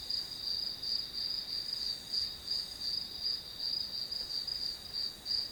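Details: Grass insects providing background sound while studying: continuous high, metallic chirping in regular pulses near three per second, a softer second caller overlapping, no other sounds present.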